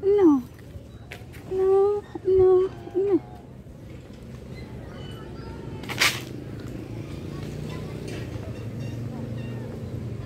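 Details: Tori, a domestic cat on a first visit to a playground, gives several short mid-pitched meows in the opening three seconds, some dropping in pitch, followed by a sharp click and steady outdoor background hum.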